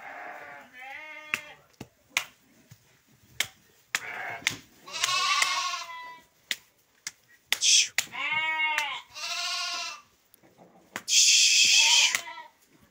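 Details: Several bleats from male sheep in a flock of 23 held for sale in Guelma. The calls are loud, quavering and harmonic-rich, and some rise and fall. Sharp clicks and knocks occur throughout, with brief Arabic speech.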